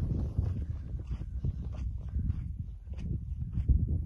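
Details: A red coastal male dromedary camel in Medina gives a deep, rumbling grumble, with some thumps and shuffling nearby.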